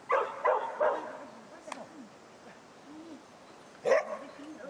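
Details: Schapendoes at agility training gives three quick barks in the first second, then one more loud bark near the end, with a person talking softly in between.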